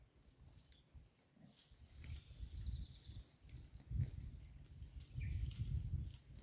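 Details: Roadside herd of cows grazing on green grass; deep, rapid crunching and tearing of grass in dense low bursts that grow louder through the second half, with soft rustling.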